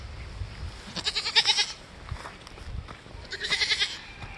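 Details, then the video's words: Attention-seeking bottle-baby goat screaming after getting her head caught in a fence again. Two short bursts of strained, wavering bleats are separated by a quiet pause, with faint handling noise below. "bottle baby goat again, they are nothing but attention seeking trouble"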